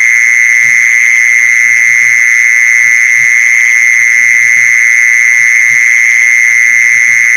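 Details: Mole cricket call, played to lure mole crickets: one steady, unbroken, high-pitched electric trill that holds the same pitch throughout, with faint soft low knocks underneath.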